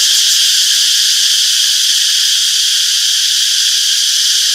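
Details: Summer forest cicadas keep up an unbroken, high, hissing drone, many insects blending into one steady wall of buzz, with nothing else standing out.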